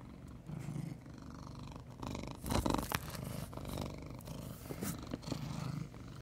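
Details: Big, chunky male brown tabby domestic cat purring: a low, steady rumbling purr throughout, with louder bursts of rustling and handling noise near the middle.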